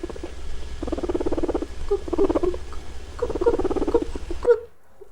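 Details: Guinea pig. Low, pulsing chutter from a guinea pig comes in short bursts, with a few thin squeaky notes between them. It is the sound these animals make when curious, exploring somewhere new or investigating something.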